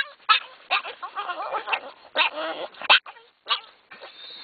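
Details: Pair of dogs riding in a car to the dog park, worked up with excitement; choppy bursts of whiny yips and squeaky barks in quick succession, with brief quiet gaps between outbursts.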